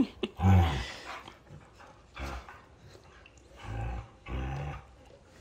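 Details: Dogs wrestling indoors in play, a 1.5-year-old long-haired German Shepherd named Arlo and a 2-year-old Husky named Appa; a short, low rumbling growl opens the clip, followed by several softer, breathy bursts of scuffling and huffing.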